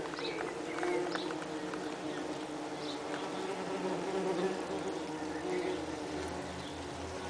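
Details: Saxon wasps at their nest inside a nest box on 30 June 2010, workers having perforated the outer shell to improve airflow and cooling in the heat; a steady low droning hum runs throughout, with a few faint bird chirps above.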